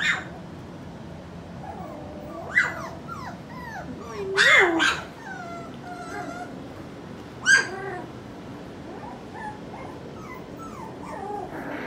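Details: A litter of four-week-old puppies from Skittles fills the air with high, wavering whimpers and squeals, punctuated by several loud yelps near the start and middle.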